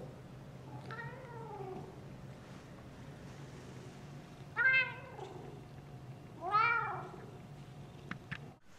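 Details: Domestic cats, a Maine Coon and a six-year-old Ragdoll, indoors during a pet sitter's visit; three drawn-out meows that rise and fall in pitch, about two seconds apart, over a steady low hum, with a short click near the end.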